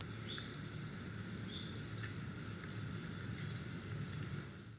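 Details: A confused ground cricket (Allonemobius fasciatus) sings in a yard on a hot August evening late in summer, a high, steady trill pulsing in short bursts about twice a second.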